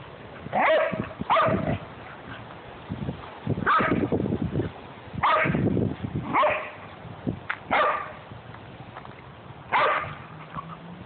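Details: Household dogs, a Great Dane, a Jack Russell and a golden retriever mix, barking. Loud, abrupt barks are repeated roughly every one to two seconds, some in quick pairs, against a low background rumble.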